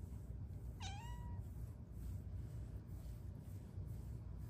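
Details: A shy Bengal cat sitting on the back of a couch at home gives one short, sweet, rising-then-falling meow, with a low background hum.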